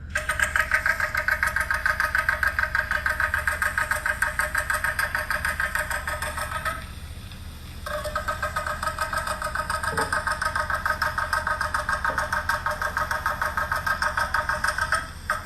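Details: A Puerto Rican crested toad, a critically endangered species that calls to mates from the edges of temporary breeding pools in Puerto Rico, gives its mating call, a steady, rapidly pulsed, rattling trill.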